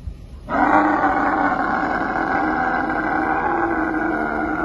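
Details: She-camel being rescued from inside a well gives one long, loud, rough groaning bellow that starts abruptly and holds steady with rich harmonics for about four seconds.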